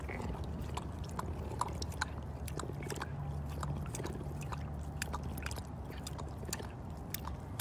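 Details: A cougar at a big cat rescue sanctuary purrs in a steady, low rumble beneath sharp wet clicks of lapping as it takes a drink of water.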